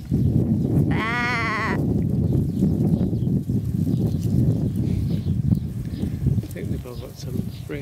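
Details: Sheep eating and fighting over a corn husk give one loud, quavering bleat with stacked harmonics lasting under a second, followed by steady low chewing and scuffling noise; music plays faintly in the background.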